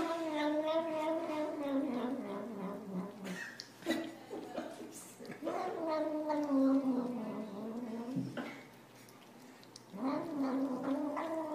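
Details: Domestic cat giving long, wavering, moaning yowls with rising and falling pitch, several drawn-out cries separated by short pauses, with a person speaking softly nearby indoors.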